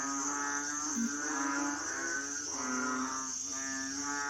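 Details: Asian frogs giving deep, buzzy, harmonic croaks that swell and fade in overlapping waves, with a steady high whine underneath throughout.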